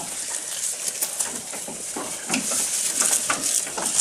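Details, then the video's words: Close-up eating by a goat, with rapid crisp crunching and rustling, several bites per second in an uneven rhythm, no bleats. "Goat Eating Sound"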